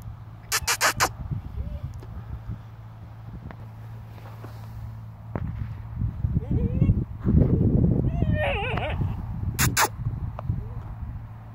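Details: A 9-week-old German Shepherd puppy playing with a piece of wood gives brief wavering squeaky whines over crackling chewing and a low hum.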